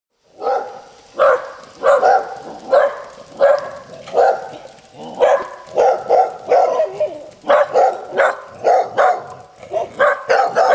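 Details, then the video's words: Three dogs at a home deep in a canyon barking to announce themselves at a passer-by, a rapid overlapping volley of sharp barks, roughly two or three every second, continuing without pause. "3 barking dogs"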